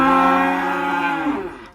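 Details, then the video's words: Black sacrificial cattle unloaded from a truck in Indonesia before shipment to Jakarta: a steady, loud, harmonic bellow holding one pitch, then dropping and fading at the end. "SAPI KURBAN HITAM TURUN DARI TRUK"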